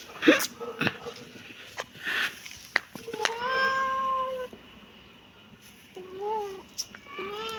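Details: Kitten meowing amid human talking and clicks: a sustained, slightly rising meow in the middle, then two shorter arched meows toward the end.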